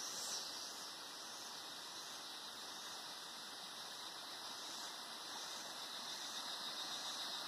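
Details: Cicadas in the Atlantic Forest at Sítio das Mulatas, Araras, Petrópolis, Rio de Janeiro, Brazil, recorded in 2021, fill the air with a steady, shrill, hissing drone that never pauses.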